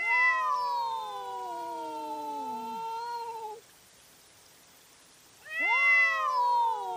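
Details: Nighttime cat fight recorded by trail camera: a loud, harmonically rich yowl descending over three seconds, about two seconds of quiet, then a sharp rising wail starting again.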